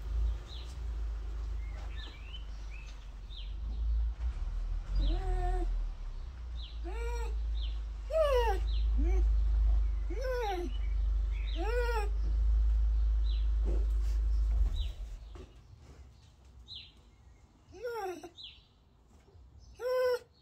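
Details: Female Basset Hound crying with joy in anticipation as her owner's daughter returns home from university, after hearing the car: repeated high, wavering whines and yelps, some rising then falling, over a steady low rumble that stops partway through.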